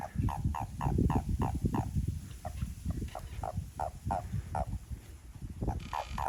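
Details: Japanese common toads calling behind a house as the group grows lively: loud, steady series of short throaty mid-pitched notes, roughly three per second, with overlapping callers and deep background rumble.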